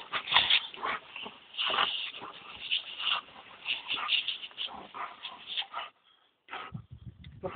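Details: While playing with a hose on a scorching day, Dobermann Tyra, two, and her seven-year-old granddad Thunder let out a dense run of excited yips and whimpers over splashing water, then a brief quiet gap.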